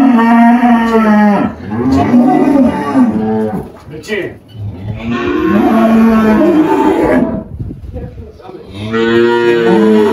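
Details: Girolando cow Malhada, an 18-year-old spotted dairy cow that recently calved, on a farm in Anápolis, Goiás, Brazil, 1 March 2023: three long, deep, harmonic moos, the first two lasting over a second each, the third starting near the end.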